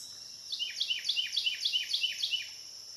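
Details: Cicadas recorded between dusk and dawn on the Licking River in Morning View: a steady high insect drone runs throughout, overlaid by a rapid series of about a dozen sharp descending chirped notes over two seconds.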